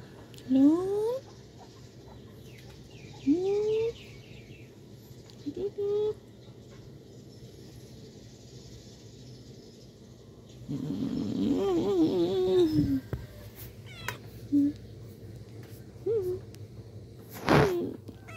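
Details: Black pet cat that sleeps on its owner's belly, giving short rising mews with bright harmonics, spaced a few seconds apart, plus a longer wavering run of calls midway, over a low steady indoor hum and a sharp click near the end.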